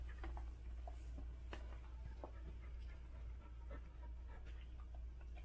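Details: A Standard Poodle named Gabbana, in labor while delivering seven puppies, breathes in quick, irregular pants. Short breathy puffs are mixed with faint clicks over a constant low background hum.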